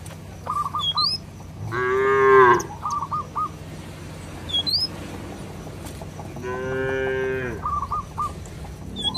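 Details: Village cattle wandering in a field, mooing to call companions back to their barn: two drawn-out, strongly harmonic moos about five seconds apart, with brief repeated bird chirps and whistles in between.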